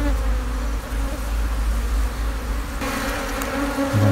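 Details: Honey bees from a long-established wild colony nesting under an abandoned, vine-covered sofa, with sixteen dark old combs full of brood, disturbed during honey harvesting; a steady low droning hum with even pitched bands and a brief rustle partway through.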